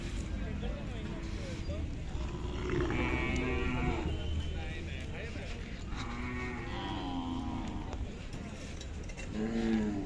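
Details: Khillar cattle, including young bullocks, at the Sangola market in India on a May 2024 morning: several low moos, some rising then falling, spaced a few seconds apart, over steady crowd noise.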